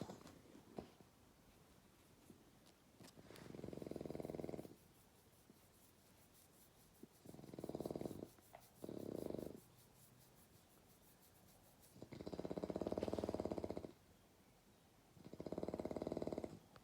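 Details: Young bulldog asleep at night, snoring: five rough, buzzy, low snores lasting one to two seconds each, separated by quiet, uneven pauses, in a still indoor setting.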